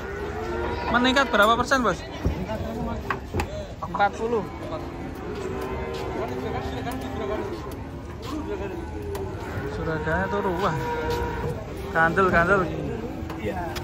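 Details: Cattle unloaded from a truck at a market moo among loud human chatter and shouting; harmonic, drawn-out lowing calls with wavering pitch rise and fall repeatedly over a busy outdoor background.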